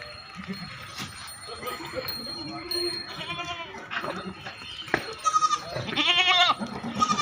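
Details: Goats at a goat farm in Assam bleat in loud, quavering, nasal bursts, with a steady high whine and faint voices behind.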